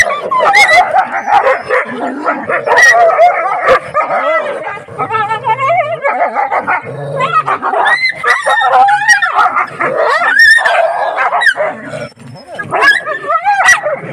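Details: Desi dogs meeting in a village keep up a continuous chorus of high yelps, excited barks and wavering whimpers, with hardly a pause throughout.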